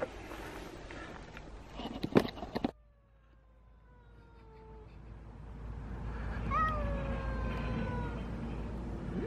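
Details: Domestic cat during a meeting between Elma, a small two-year-old female weighing 3.5 kilograms, and Kutvonen, the biggest cat in town; after a crackling rustle, long drawn-out, slightly falling yowls follow with quiet background hum.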